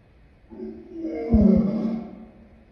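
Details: Lion uttering a single drawn-out moaning roar that swells to a loud, gravelly peak midway and then fades over about a second.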